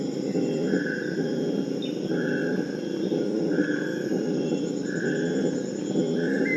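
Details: Steady, gravelly roaring of a Purus red howler monkey chorus, meant to prevent aggression between groups, with short higher whistled notes repeating roughly every second above the drone.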